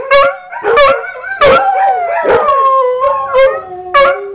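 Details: Howling from pet dog Macon, set off by a recording of Sidney and Shadow barking; a long, quavering, tonal howl runs through the middle, with sharp bark bursts at the start and end.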